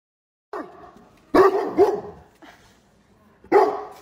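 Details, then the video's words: Great Dane barking at his owner; a short bark followed by a louder double bark with a rising yelp, then a brief pause and one more strong bark near the end. "The Great Dane that Loves To Bark, I Mean Really Bark!"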